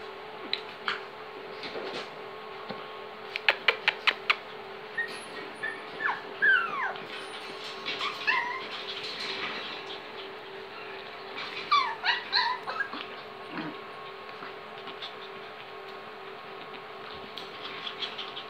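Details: Five-week-old long-haired Chihuahua puppies from one litter give thin, high whimpers that bend up and down, with a steady background hum.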